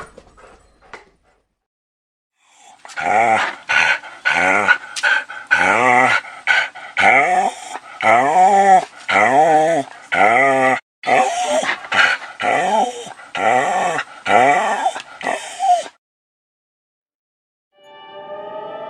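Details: A dog whining: a rapid series of high, wavering whimpers and short yelps, about one per second over some thirteen seconds, each sliding in pitch, with brief silences before and after.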